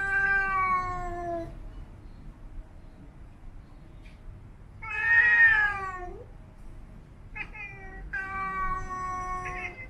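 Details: Siamese cats at grooming and play make slow, melodic yowling growls: one steady drawn-out moan, a brief pause, then a louder rising-and-falling call and two shorter ones, each clean and harmonic against near silence.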